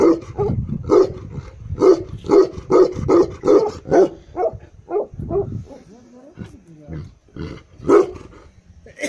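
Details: In Eastern Nepal a black male Tibetan Mastiff barks very deeply, a rapid string of booming woofs that slows and fades, then one last loud bark after a brief lull.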